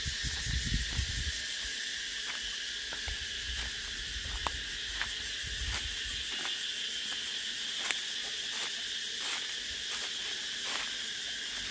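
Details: Continuous high, hissing buzz of cicadas running the full length, with scattered clicks and low rustling thumps near the start.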